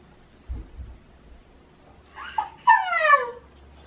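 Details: Shiba Inu named Baku giving a short love cry in the autumn mating season, noisily demanding a walk early in the morning: after two soft thumps, a brief yowling call of about a second that slides down in pitch, with clear overtones, in a quiet room.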